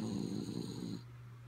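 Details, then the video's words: Asleep and snoring, the dog Kaya Boo gives one raspy, rumbling snore lasting about a second that fades into a steady low background hum. "Sleepy Kaya Boo Snoring"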